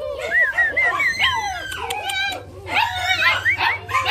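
German Shepherd puppies whine and squeal in high, arching notes that overlap in quick succession.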